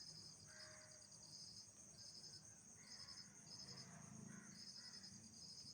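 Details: Night insect chorus: pulsed high chirp bursts separated by short pauses, layered on a continuous shrill ringing tone, with a faint low background rumble.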